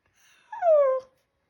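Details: Shiba Inu dog indoors, talking to its owner: a single drawn-out whine that starts high and slides down, lasting about half a second, tonal with clear overtones, in an otherwise quiet room.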